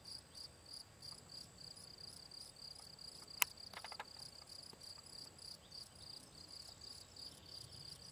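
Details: Field cricket, Gryllus campestris, recorded on 18 June 2023 in the Draga valley near Ribniki: steady high chirps repeated several times a second, with a brief sharp click midway.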